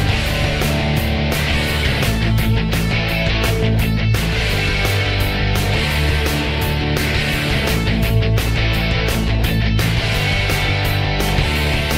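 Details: Loud, driving heavy rock music with distorted guitar and pounding drums fills the whole stretch, and no animal sound stands out.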